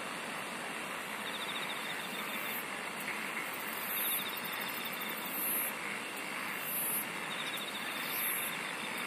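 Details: Chorus of singing insects: bursts of very high, shrill chirps returning roughly every one and a half seconds, with a softer rapid trill lower down and a constant hissing background.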